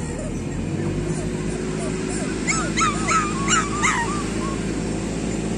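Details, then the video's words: A group of street dog puppies near food lets out a short cluster of sharp, rising-and-falling yelps midway, with a man speaking Tamil and low background noise. "street dog puppies"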